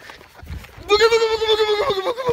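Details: Goat in a funny compilation of so-called talking goats: one loud, drawn-out bleat lasting over a second, steady in pitch with a wavering, human-like quality and a slight rise near the end, after brief low background noise.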